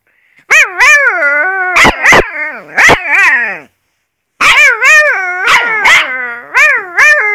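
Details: Half-malamute, half-wolf puppy howling in two long bouts, each voice undulating up and down in pitch with rich overtones, punctuated by short barking bursts, with a silent gap of about a second midway.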